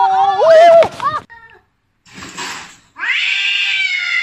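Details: Kittens in a funny compilation: a brief warbling meow mixed with a human voice, a pause, a soft hiss-like rustle, then a high, rising drawn-out mew held for over a second.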